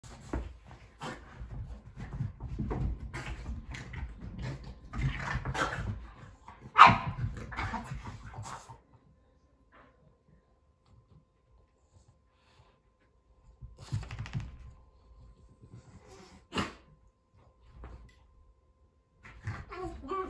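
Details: Kumo the Keeshond and Sully the Boston Terrier play-wrestle in their living room. Scuffling, growly barks and yips burst out over about nine seconds, then a quiet stretch broken by a few short, scattered noises.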